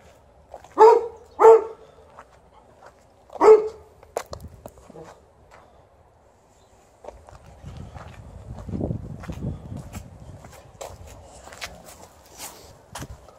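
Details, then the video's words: Golden Retriever complaining while outside as snow is almost gone: three short high whines within the first four seconds, followed by footsteps, rustling and low handling noise, with a faint voice at the end. "Golden Retriever is complaining while outside"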